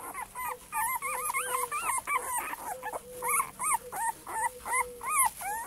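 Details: Litter of male Cane Corso puppies, several crying together in rapid overlapping whines, arched high whimpers repeated nearly three times a second over lower drawn-out moans.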